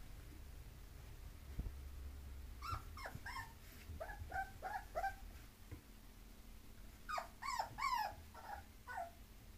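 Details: Bulloxer mixed-breed dog whining in short rising and falling cries, a few at a time, then a tighter cluster of yelping whines near the end over a faint low hum.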